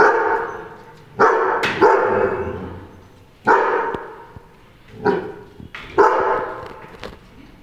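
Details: A German Shepherd, tagged as a puppy, gives a series of loud, deep, resonant barks at irregular intervals.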